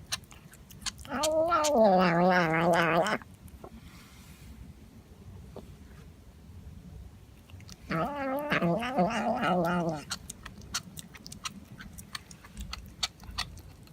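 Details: Domestic cat giving two long, drawn-out wavering yowls, each about two seconds, rich and harmonic with a low throaty base and trembling pitch, separated by a quiet gap with soft background noise and faint clicks.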